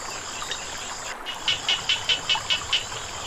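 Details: Frogs calling beside flowing water: seven short, bright, evenly spaced high pulses over about one and a half seconds, set against a steady hiss of running water and a constant background insect drone.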